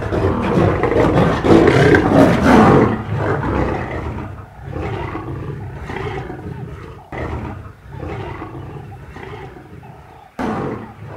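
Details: Fighting African lions on the savanna; loud roaring and snarling for the first three seconds, then quieter broken growls and scuffling with sharp sudden bursts.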